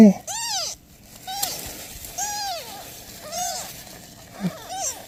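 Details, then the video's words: Mother cat and newborn kittens, the mother asking for help: clear arched meows, each curving up then down, spaced about a second apart, separated by quiet pauses and a soft thump. "Mother cat ask for help! Newborn kittens meows"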